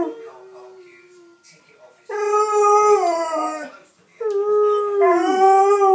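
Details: Six-month-old Alaskan Malamute puppy Loki howling, a soft low murmur first, then two loud sustained howls, the second swooping up from a dip into a higher held tone.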